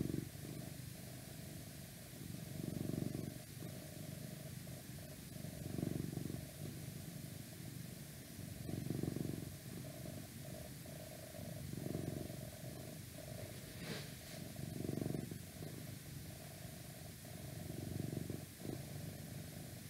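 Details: Long stretch of a house cat purring, low throaty rumble pulsing in swells roughly every three seconds, with a brief higher rustle near the middle and faint outside noise.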